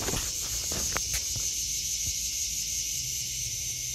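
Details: Summer cicada chorus in a vegetable garden in August 2023, a continuous shrill buzzing wash that never pauses, with a few soft footsteps crunching near the start.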